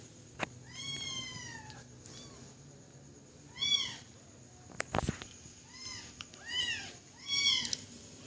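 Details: Baby cat giving drawn-out, arching cries, some long and falling, spaced a few seconds apart over a noisy background with scattered clicks and knocks.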